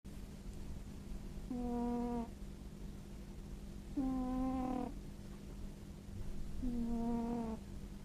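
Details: Rescued tabby cat in Japan, a former stray, snoring in deep sleep and not waking when approached: three steady, nasal, whistling tones under a second long, about every two and a half seconds, over a low hum.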